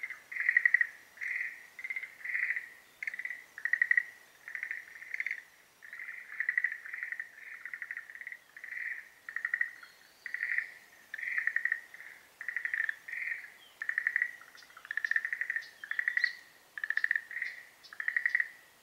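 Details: Breeding-season chorus of Schlegel's green tree frogs: short rattled croaks in steady series, nearly one burst every second, with several frogs overlapping and some sharp clicking notes near the end.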